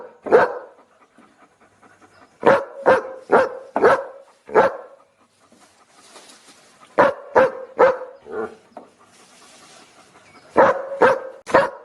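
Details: Looped dog barking: clusters of four or five sharp barks come every few seconds, interspersed with softer panting and a brief whine, the barks steady in pitch and evenly loud.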